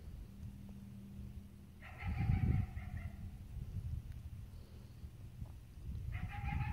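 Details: Morning coyote barks heard while walking to a tree stand: two sustained, harmonic, flat-pitched calls about four seconds apart, with heavy footsteps and rustling underneath.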